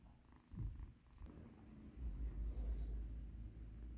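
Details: Rescued kitten Mikan being massaged, purring low and throaty; brief stretch with fur-rubbing noise and a loud, close rumble in the second half.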